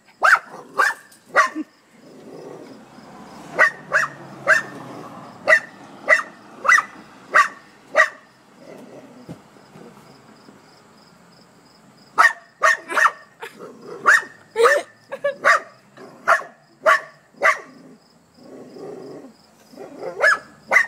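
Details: Dog barking at a hedgehog: long runs of rapid, sharp barks, a quieter stretch in the middle, then renewed insistent barking near the end.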